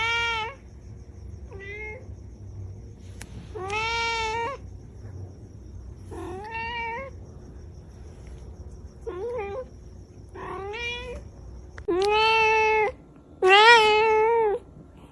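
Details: Angry domestic cat indoors giving a long series of about ten meows of varying length and loudness, some short and chirpy, others long and wailing, with the last two loudest.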